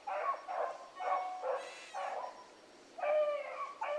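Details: Hound pups Ringo, Mingo and Choco running a rabbit in the morning, giving bursts of tonal baying yelps in quick succession, some longer drawn notes near the end, several dogs calling.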